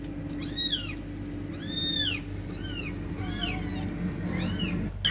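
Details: Cats, described as fighting: five short, bowed meows, some thin and high, some fuller, irregularly spaced about a second apart, with a steady electrical-like hum underneath.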